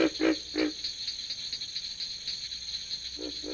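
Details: Pig frog (Rana grylio), which has internal vocal sacs, giving short, low, piggish grunts in quick pairs over a steady insect hum.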